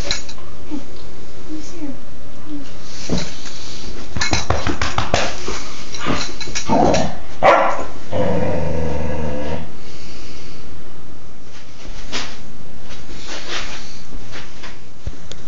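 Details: Playful female Dobermann puppy named Baja, four months and two weeks old, recorded 2/26/11, gives a few short gruff barks and growly yelps midway, mixed with clattering knocks and a human voice in a small indoor room.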